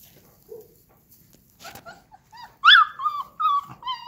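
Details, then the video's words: Akbash dog puppies, a livestock guard dog breed, making soft whines that build into a loud high yelp followed by several shorter whimpering cries. ""Vicious" Akbash Dogs"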